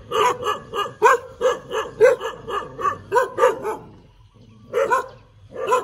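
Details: Tail-wagging dog gives a rapid run of about a dozen sharp barks, roughly three per second, then falls silent for a moment before two more barks.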